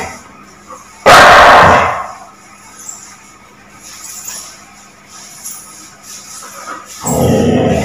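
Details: Labrador Retriever barking aggressively: one loud, harsh bark about a second long early on, then a quiet stretch with faint background noise, and a second loud bark starting near the end.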